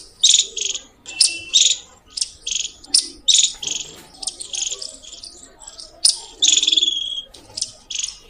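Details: Squirrel giving loud chirps, a near-continuous string of sharp high bursts, one longer trilled chirp late on, with soft background rumble between calls.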